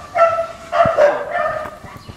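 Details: German Shepherd, described as unmanageable, during its second training lesson: three drawn-out, high tonal whining cries with bright harmonics, each about half a second long, with brief quieter gaps between them and a faint low background.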